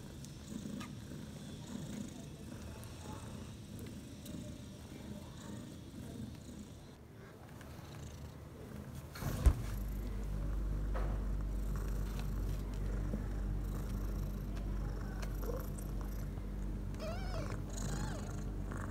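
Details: Domestic cat, a mother who gave birth to four kittens (three males, one female) about six hours earlier, purring in a prepared nest: a low, steady rumbling purr throughout, with a brief knock midway and faint background noise.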